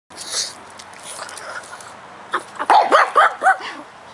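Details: Pug in his yard, concerned about a bug he found trespassing, lets out a quick run of four short sharp barks after a stretch of rustling.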